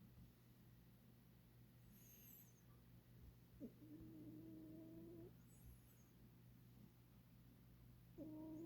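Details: Sleeping domestic cat snoring, each breath giving a soft, steady whistled tone lasting over a second, repeated about every four to five seconds over a constant low hum in a quiet room.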